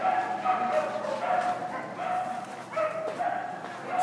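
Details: Manchester Terrier at a Saturday JWW agility trial, giving short, sharp, harmonic barks and yips at irregular intervals, with people's voices mixed in underneath.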